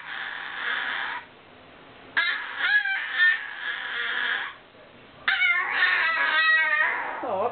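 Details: Completely deaf old miniature Maltese dog, ten years old, whining and complaining about wearing a disliked new outfit. Sustained nasal whines alternate with bursts of quick, rising yips and quavering yelps, with short quiet gaps between phrases.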